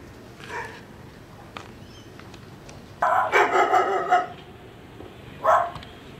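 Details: Barking dog next door, captured with a Sony FDR AX100: a faint distant bark, then a rapid burst of barks lasting about a second, and one more loud bark near the end. Low background rumble throughout.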